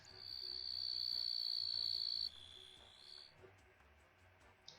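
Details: Katydid call played as a quiz sound, noted for its long range: a loud, high, continuous shrill buzz lasting about two seconds, then dropping to a fainter, slightly lower buzz that fades out.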